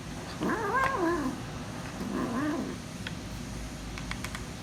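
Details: Kitten guarding her food while eating, hungry and noisy: two wavering, moaning growl-meows about a second apart with wobbling harmonics, followed by faint clicks and a low constant hum.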